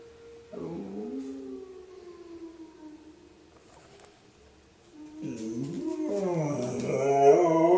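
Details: Domestic dog howling along with a tornado siren: wavering, mid-pitched howls bend downward early on, then from about five seconds a louder, rising and falling howl with several overlapping voices swells toward the end.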